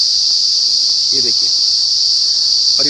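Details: Unidentified insects, possibly crickets, covering a whole gulmohar tree in Uttar Pradesh, India, close to 6 pm. They produce a constant, intense, high shrill hum, with brief snatches of a man's voice.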